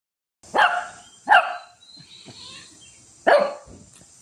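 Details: Shih Tzu fighting with a cat, giving three sharp, harsh barks, two close together then one after a pause, with soft snuffling and scuffling between them.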